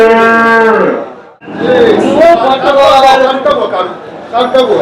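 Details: At the Chakan cow market on 3 January 2026, a desi cow ends a loud moo in the first second, after which men's bargaining speech dominates the rest of the recording.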